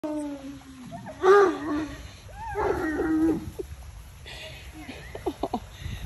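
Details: Two nosy Alaskan Malamutes, Tonka and Monroe, spying on a neighbour, with drawn-out harmonic woo-like vocal sounds whose pitch slides and wavers in two longer bouts, then softer short noises, with faint background hiss.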